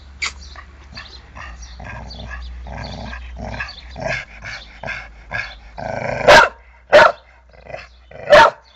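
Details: Dog giving a run of short, evenly spaced yapping sounds that build into three loud, sharp barks near the end, each separated by about a second of quiet, over a low steady hum.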